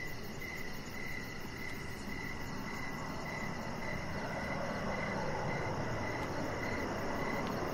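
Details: Evening crickets outdoors by a deck give regular pulsed chirps, roughly two to four per second, while a broad low rumble swells slightly toward the end.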